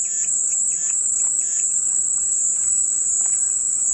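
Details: Cicadas droning in a continuous, steady high-pitched buzz that never pauses, with faint brief chirps from other creatures underneath.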